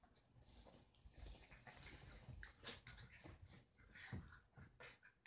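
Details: Play invitation between two small dogs, Roxie the deer-head Chihuahua and Reese the Dorkie: faint breathy panting with intermittent high, thin whimpers and one sharp click-like sound, short whines recurring irregularly.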